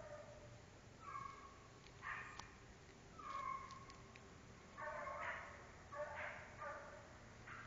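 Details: American Foxhound giving several drawn-out, harmonic baying calls. Each lasts about half a second, spaced roughly a second apart, with a steady low hum underneath.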